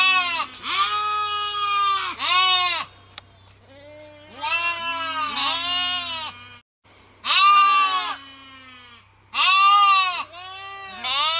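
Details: Sheep giving high, shaky, arching bleats in bursts of one to two seconds, some doubled, with quiet gaps and a low hum between calls.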